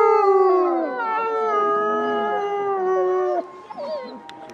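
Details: Gray wolves at Asahiyama Zoo, during its winter snow-light evening event, howl together in long, mournful tones that overlap and slide gently downward.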